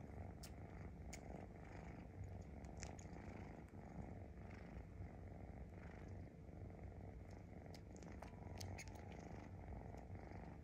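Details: Rescued kitten sucking on its own paw pad, a steady low rumbling purr running throughout with scattered wet, clicking smacks from the sucking, irregular, several in quick bursts.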